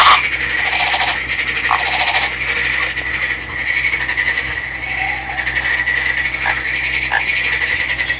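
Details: Green male Nagoya Daruma pond frog, river-caught and kept, croaks in a continuous buzzy pulsed trill, with brief rougher accents scattered throughout.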